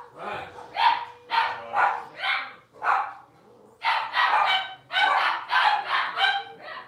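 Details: Blenheim Cavalier King Charles Spaniel puppies, six weeks old, litter of five in an indoor puppy pen, give bursts of shrill yips and barks, pausing briefly, then a quick cluster of repeated yaps; a person speaks softly nearby.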